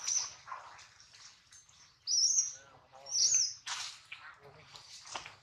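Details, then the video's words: Hungry baby monkey named Adler, missing his mom and held by a small monkey, gives high, thin, wavering squeals in quick succession, about one a second, with softer rustling and handling noise around them. "POOR BABY MONKEY CRYING IN HANDS OF SMALL MONKEY BABY MONKEY ADLER MISSES HIS MOM AND HUNGRY"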